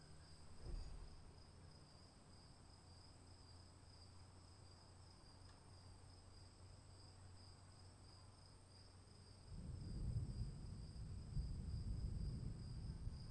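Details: Crickets calling in the rain: an unbroken, steady high trill on two even pitches, with low rumbling rain noise that swells into heavier patter in the final seconds.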